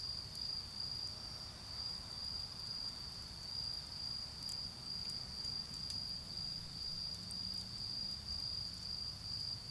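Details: Autumn insects sing a sustained shrill trill in a garden during a bonfire, its level gently pulsing, while sparse wood crackles snap above and a distant vehicle drone rumbles low.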